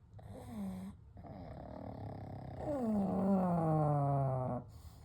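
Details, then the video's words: Three pugs named Kou, Gen and Shun sleeping together at night: a short snore, then a long whistling, falling snore on the in-breath, wheezy tones gliding downward over a low rumble, followed by quiet breathing. "A Night with Sleeping Pugs - Gentle Snoring & Breathing"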